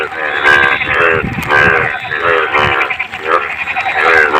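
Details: In the monsoon month of Bhado, frogs croak from clean water. Loud, bleating, harmonic calls roughly every half second overlap with softer callers, and occasional splashy clicks sound beneath.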